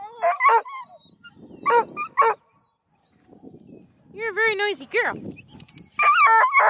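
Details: A rowdy crew of Bluetick, Redbone and Black and tan hound pups near Kingston, Ontario, giving bursts of high yelps separated by pauses, with a quieter rustling stretch and a long harmonic wavering cry toward the end.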